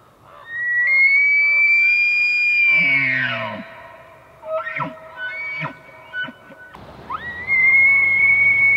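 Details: A bull elk in Banff National Park bugles: a long, high, whistling squeal that slides down into coarse grunts, then rises again.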